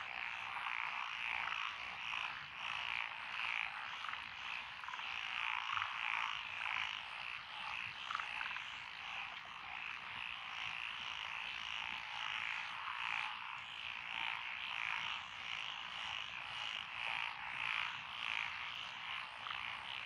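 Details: Continuous chorus from lotus paddy fields in Echizen, Fukui Prefecture, Japan, 12 June 2021, voiced by several named species including Japanese tree frog and Schlegel's green tree frog. Many overlapping rattling, pulsed croaks form an unbroken, mid-pitched wall of sound.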